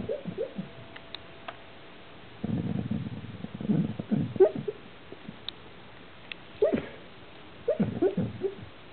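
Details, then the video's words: Pet puppy named Phoebe making funny noises while dreaming: soft, muffled whimpers and low grunting yips in short pulsed bursts, one cluster at the start, a longer run mid-clip, and two more toward the end, in a quiet room. "puppy dreams"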